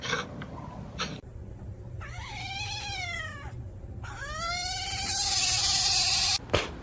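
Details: Domestic cat giving two drawn-out meows, each rising and then falling in pitch, the second longer than the first and ending in a burst of hissy noise, over a steady low hum indoors.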